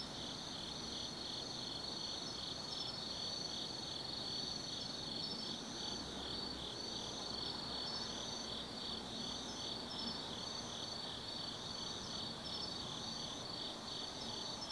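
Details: Night chorus of autumn insects in the woods of Tsukimi no Mori above the Nobi Plain, Gifu Prefecture, Japan: dense high continuous trilling, one caller repeating short pulsed bursts about every second over the steady drone, low background rumble.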